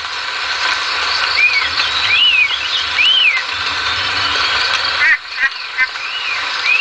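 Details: Leptopelis vermiculatus calling: a series of short arched tones that rise then drop, spaced about a second apart, against constant broadband background hiss.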